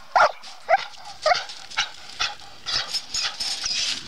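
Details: Bluetick coonhound female in training on a raccoon: three loud, sharp barks spaced about half a second apart open the clip, followed by fainter, rougher barking and outdoor rustle.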